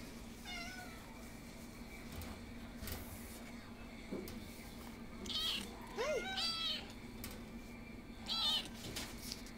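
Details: Domestic cat meowing indoors: a short meow near the start, then a cluster of several rising-and-falling meows around the middle and one more near the end, with quiet gaps and a low steady hum between calls.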